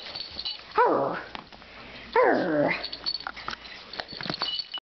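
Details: Neighbour's puppy during play with a person: two drawn-out, wavering whining yelps about a second apart, followed by softer scuffling and faint background music.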